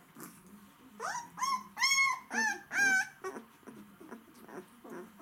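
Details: Hungry White Swiss Shepherd dogs: loud, clear, drawn-out whines rising then falling, four strong cries in quick succession, followed by softer short squeaks and whimpers, indoors.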